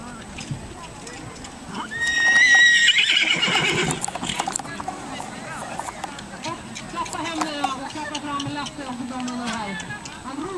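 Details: Male Irish Cob (tinker) at a 2009 cross-country driving (marathon) competition in Villvattnet, northern Sweden, on his first attempt, facing wooden obstacles and forest streams; a loud, high harmonic whinny near the start, then hoof clops and a person speaking Swedish.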